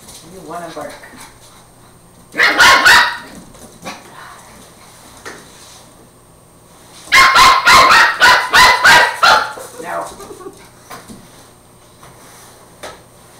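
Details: Puppy Angus, a Border Terrier, takes on a broom indoors: a short burst of barks, then quiet, then a longer run of about eight rapid barks, with faint voices before and after.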